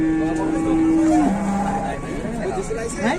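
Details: A pinched, trapped cow in Indonesia gives a long level moo that drops lower near its end, then trails off, with human voices and a steady rumble of vehicles behind.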